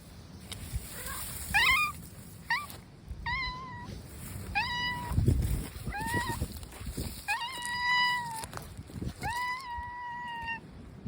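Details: Brown mackerel tabby stray cat meowing over and over outdoors, about ten tonal cries, some short and clipped, others drawn out and level, spaced roughly a second apart, with gusting wind and handling bumps.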